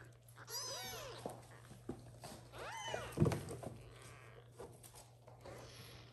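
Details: Little kittens indoors meowing for the mother cat to return and feed them; two arched harmonic meows about two seconds apart, followed by a thump and soft rustling.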